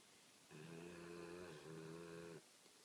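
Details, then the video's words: Sleeping American Pit Bull Terrier snoring indoors: one long, droning, buzzy snore of about two seconds, steady in pitch with a slight dip midway, set against a faint hiss of background noise. "Sleeping (snoring) American Pit Bull Terrier."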